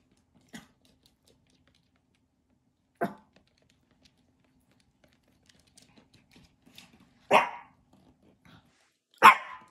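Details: A Pomeranian barking at a bird gives four sharp, high barks spaced unevenly over ten seconds, the last two loudest, with faint clicks and rustles between them.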